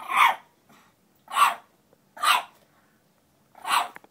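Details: An 8-week-old female French Bulldog puppy fighting her own reflection gives four short, rough barks spaced about a second apart.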